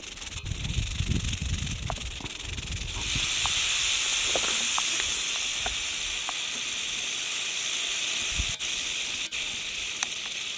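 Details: Rattle of a western diamondback rattlesnake ready to strike: a dry, continuous buzz that swells louder after about three seconds and then stays steady, with scattered low knocks and clicks early on.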